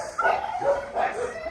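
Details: Kept dogs barking when another dog is taken out for a walk, the others barking on without stopping; a few quick, mid-pitched barks in short succession, with some voice.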